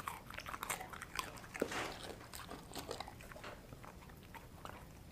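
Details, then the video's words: Dog named Sasha gnawing dried kangaroo bone and jerky: softer, muffled crunching and grinding, steady clusters of small cracks with one louder snap early on, fading toward the end. "Dried Kangaroo Bone & Jerky Crunching"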